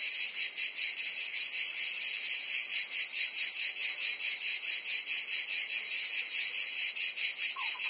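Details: Summer chorus of cicadas in Provence, France, a shrill unbroken buzz throbbing in quick regular pulses, roughly two and a half per second, with a brief faint lower chirp near the end.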